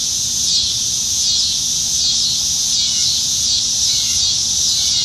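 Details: On a July 2019 summer evening in Nebraska, plentiful cicadas in the trees make a dense high-pitched buzzing drone, lightly pulsing in waves, with a faint chirp near the end.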